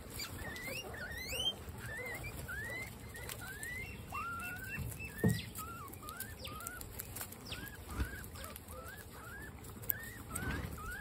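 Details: Group of 26 female guinea pigs at dinner time giving high rising squeaky wheeks, many overlapping from different animals, with soft munching and rustling of food underneath.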